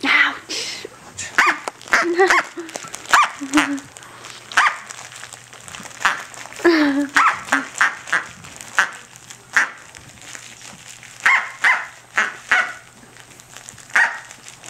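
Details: Female Corgi puppy Tic-tac, six to seven weeks old, playing with her toy duck: a fast string of short, high yapping barks, often two or three close together, with a person talking and laughing between them.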